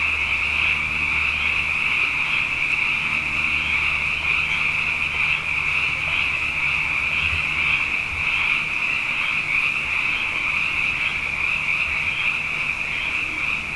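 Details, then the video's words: Countless frogs, abundant following two wet years, fill the night with a sustained, high, pulsing chorus of overlapping trills, over a faint low steady hum that fades in and out. "Frog Songs: Na Mele o nā Paloka"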